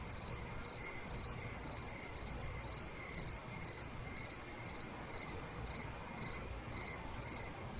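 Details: Night crickets: rhythmic chirps about two each second, a faster rattling trill from another insect over the first three seconds, quiet background.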